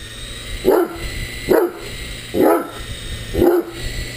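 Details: Great Dane barking at a flying RC helicopter toy: four short, deep barks evenly spaced just under a second apart, with the helicopter's constant high-pitched motor hum behind them.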